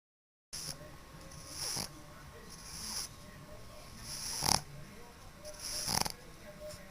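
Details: A pug snoring quite loudly while asleep: after a brief silence, about five wheezy, hissing breaths recur roughly every one to one and a half seconds, each a raspy surge over a low rumble.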